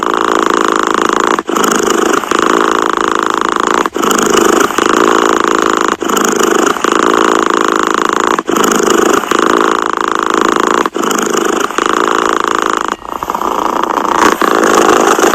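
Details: Steady rumbling purr of a cat heard very near, rhythmic breathing cycles with brief gaps every two to two and a half seconds, no other sounds.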